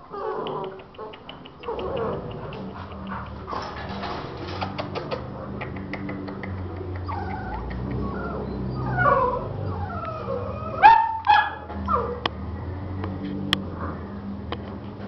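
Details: American Bully puppies of Gottiline-Remyline bloodline, caged, for sale in Aguascalientes, Mexico: thin, high whining whimpers rise and fall in short bursts late on, over a steady low hum, clatter and faint voices.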